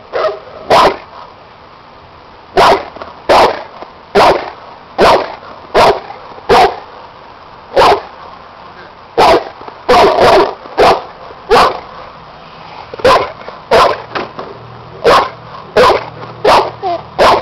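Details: Seven-year-old Cane Corso (bandog) barking during a protection work test, first time with this helper and a hidden sleeve: loud, deep barks in short bursts, mostly single or paired, spaced irregularly about every half-second to two seconds.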